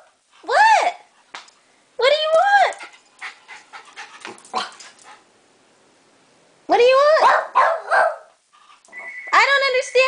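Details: Pet dog throwing a tantrum indoors after hearing people outside and being kept in: loud rising-and-falling whines and yowling howls in bursts, with quiet gaps between, as someone asks what he wants.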